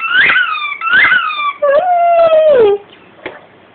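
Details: A dog sings to the squeal of its biting toy, a rugby ball that sounds when chewed. Two sharp, arching squeaks lead into a sustained, level howl lasting over a second that slides downward at the end. Faint room quiet follows.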